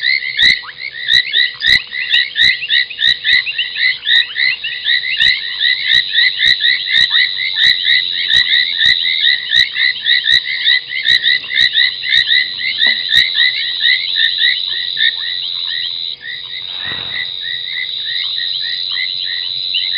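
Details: Nighttime chorus of foam nest tree frogs at Gowrie dam, Djuma Game Reserve, South Africa, 23:46, 30 January 2021: continuous busy chirping with frequent sharp clicks, and a short low thump around seventeen seconds.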